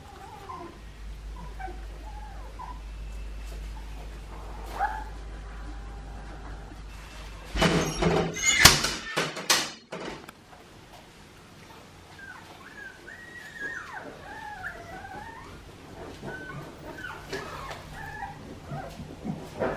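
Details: Litter of 2.5-week-old Australian Shepherd puppies from Poppy and Dublin at Fifteen Acre Farms, Oklahoma, giving faint, wavering squeaky whines, with a loud burst of handling thumps and rustling midway and more bent, high squeals afterward.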